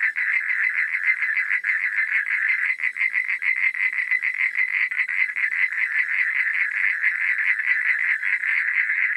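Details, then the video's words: Frogs calling at night: a dense, unbroken chorus of rapid, rattling pulses from many overlapping callers, steady in loudness throughout, with no other sounds. "Suara Katak di Malam Hari"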